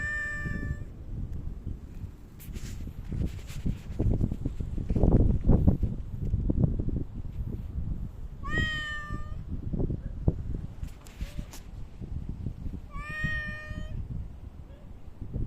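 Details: Park cats visited on 3 August 2023 after Typhoon No. 6 had passed; two clear meows, each a drawn-out rise then a slight fall, about four seconds apart, over constant low rumbling and handling noise.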